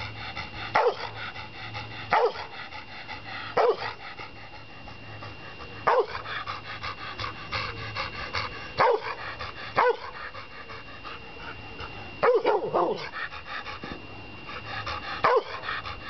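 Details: Black Labrador Retriever named Ben, a rescue dog found on the South Wales M4 in 2001, barks repeatedly during play at his new home. About nine short, punchy barks come one to three seconds apart while a person urges him to fetch.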